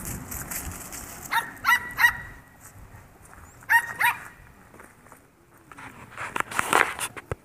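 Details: A 10-week-old Yorkshire Terrier foster puppy gives short, high, ringing yips in two quick pairs, near 1.5 and 4 seconds. Rustling and handling noises follow toward the end.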